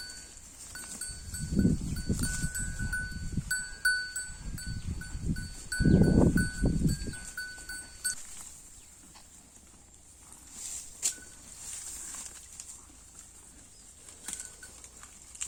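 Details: A Holstein Friesian cow grazing: clusters of low, rough ripping and munching noises during the first seven seconds, then quieter, with thin high chirps repeating early on.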